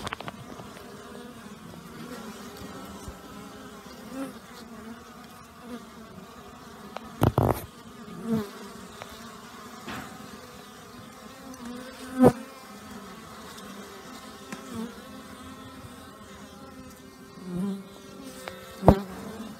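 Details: Many honey bees out on a mild day early in the new year, following a torrential overnight downpour; continuous low droning hum with rich overtones, broken by occasional sharp taps and knocks.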